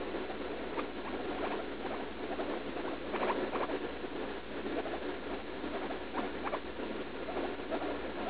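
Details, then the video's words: Leslie, a roughly three-year-old female pet guinea pig, in pain while pooping right after eating leaf lettuce, with a suspected UTI; soft, short squeaky cries come in scattered bursts over a steady background hiss. "Guinea pig in pain while pooping"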